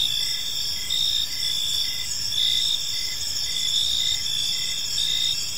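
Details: Gentle evening chirping of crickets in a park, high continuous buzzing trills interwoven with loosely timed chirps under one per second, layered voices and a faint low ambient rumble.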